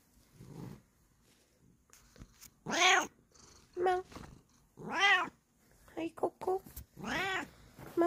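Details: A Bengal cat calling out in the morning: a string of short, chirpy meows and arching trills, several rising then falling, with soft murmurs and a few brief taps between calls.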